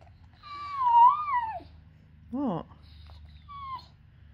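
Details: Four-month-old female Cane Corso x Bullmastiff puppy whining because she wants something: a long tonal whine that rises and falls, then two short whines. A person talks to her in between.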